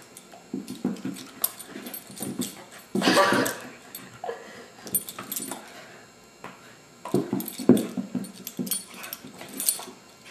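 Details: Abigail, the foster beagle who found a home, gives irregular low grumbling sounds, with a loud rasping burst early on and another cluster of short growly notes later, recorded indoors with rustling between bursts.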